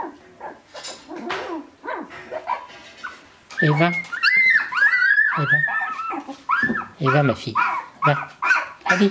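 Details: A woman speaks softly in French while picking up Shiba Inu puppies, sixteen days old, March 2017; then loud high whines break out, rising and falling, several puppies crying over one another indoors.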